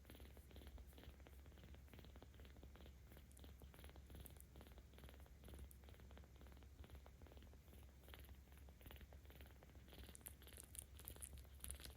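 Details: Young kitten, 17 days old, rescued by cat volunteers in Tama City, Tokyo, purring under petting on 10 October 2022; constant low vibrating purr, with soft scratchy rustles near the end.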